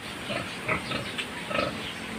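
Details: Pig vocalizing in a sow-and-piglet breeding setting: a run of short nasal grunts and brief squeals, four or five bursts across two seconds, with a constant hiss underneath.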